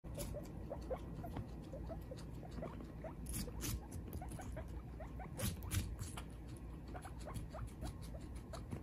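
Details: Mother and baby guinea pig eating watermelon together: dense wet crunching and chewing clicks, steady and rapid, with brief sharper snaps and small squeaky ticks over a low room rumble.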